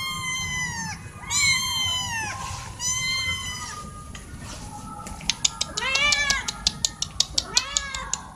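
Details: Four cats meowing loudly, wanting something such as food or attention; long harmonic meows rising then falling, several overlapping, followed by a run of sharp regular clicking or tapping sounds under shorter meows.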